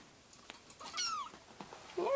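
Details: Four five-week-old RagaMuffin kittens roam a room, near a scratching post. One faint, thin meow slides downward, and a brief higher squeak follows. Soft bumps and rustling are heard around it.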